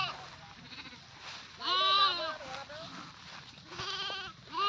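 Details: Goat bleating: a loud trembling bleat near the middle, followed by a shorter wavering one and the start of another, with murmured human voices underneath.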